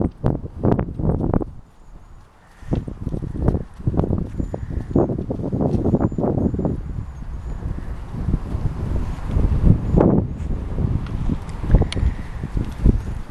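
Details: Mare named Lena at a trot, hooves striking in a steady clip-clop rhythm, with scuffing and rustling between beats and a short pause near two seconds.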